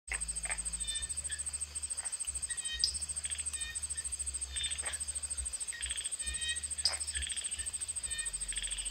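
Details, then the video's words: Common tree frog (Polypedates cf. leucomystax) beside an ornamental garden pond near Mae Wong National Park, Thailand, evening of 29 July 2018; short clicking, rattling bursts every second or two under a steady high insect whine. "Common Tree frog"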